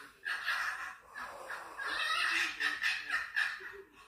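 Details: Fighting female foxes give a continuous strained, rasping scream that wavers and pulses, breaking into choppy yelping notes near the end.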